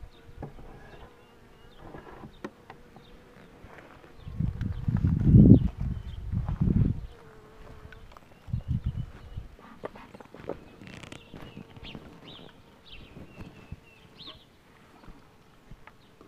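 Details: Honey bees buzzing while the queen box is pulled, a low droning hum swelling in bursts around five to seven seconds and again near nine seconds, with clicks and handling noises throughout.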